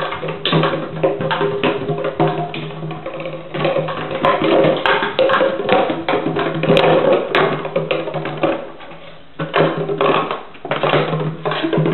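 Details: Fast wood-block and drum percussion music plays throughout, with no animal sound.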